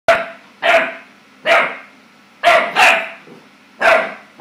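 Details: Clumber Spaniel puppy barking, scared of his own reflection: short sharp barks in uneven bursts, some paired, roughly one per second, with quiet gaps and a steady low hum underneath.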